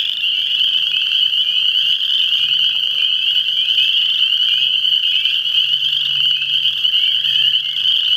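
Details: Many frogs calling together in a constant high, rattling trill that fills the whole recording, with a faint low hum underneath in the second half.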